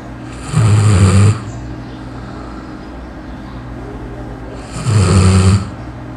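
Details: A sleeping dog in Matias Barbosa, Brazil, snores loudly: two deep, rattling rumbles each under a second, about four seconds apart, with a faint steady hum between them.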